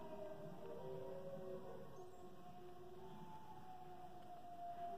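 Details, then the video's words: British Columbian timber wolf giving long, sustained howls that hold steady and glide slowly, with several overlapping drawn-out tones layered at once over a faint background hiss. "Timber Wolf Howl"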